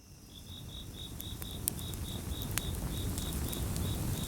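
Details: Crickets chirping in a gentle chorus beside a crackling campfire; steady short high chirps repeated about four times a second, over loud low crackling and popping of burning wood.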